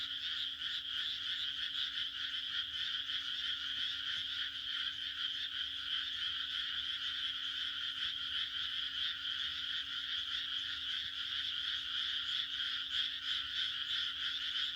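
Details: Night chorus of frogs in the Japanese countryside in June, a thick, never-pausing mass of rapid, buzzy croaking pulses at high pitch, even in loudness, with a quiet constant hum underneath.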